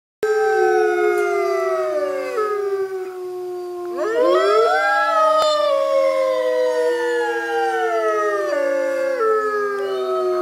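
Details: North American gray wolf pack at California Wolf Center howling together: several overlapping voices in long, smooth howls that glide slowly downward, with a burst of fresh rising howls joining midway and the chorus continuing to the end.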